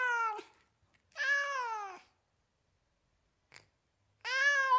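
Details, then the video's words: American domestic cat giving three meows: a brief one, a long flat nasal meow near a second, then a strong meow at the end, with a faint click in the quiet gap. "SOUNDS OF AMERICAN CATS"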